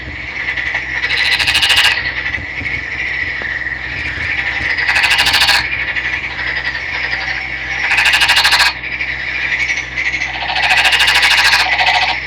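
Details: Green-coloured male Nagoya Daruma pond frog, caught by net-sweeping a stream and kept captive, calling energetically. Four loud rattling bursts of rapid pulses about every three seconds over a steady high background hum.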